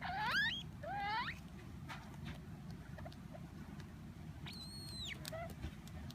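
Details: Pet degu squeaking in displeasure while eating when a hand casts a shadow over it from above, as if fearing its food will be taken: two quick sweeping squeaky whistles, then a longer, steadier harmonic squeak after a pause, over low background hum.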